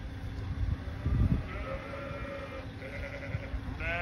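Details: A flock of sheep calling back and forth, with harmonic bleats heard from about 1.5 seconds, then again near 3 and 3.8 seconds, over low rumbling background noise.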